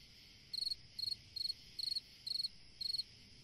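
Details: On a summer night a single cricket chirps steadily: six sharp, high, pulsing chirps roughly every half second, each a tight burst of several clicks, against a quiet hissing night background.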